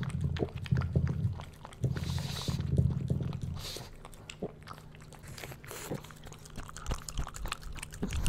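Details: Pug puppy Bowser tasting food in a small room, busy chewing and snorting grunts at first, then a quieter spell broken by sharp clicks and sniffs, chewing resuming near the end.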